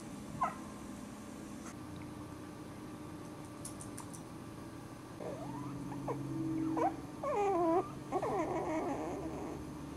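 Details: Four-week-old Cairn Terrier puppies, five in a litter with their mother Ziggy, give a short run of high, wavering whines with bending harmonics in the second half, several overlapping, over a steady low indoor hum and a few faint clicks.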